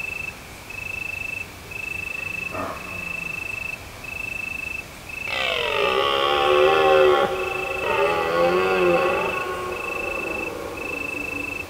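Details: Deer roaring in the autumn rut on a full-moon night in the hills of Provence, a loud, harsh, drawn-out call over a steady pulsing chirp of night crickets.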